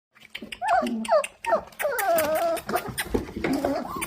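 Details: Four-week-old Dalmatian puppies of one litter, impatiently waiting for dinner indoors, whining in high, wavering yelps and whimpers that rise and fall, with a person's voice mixed in.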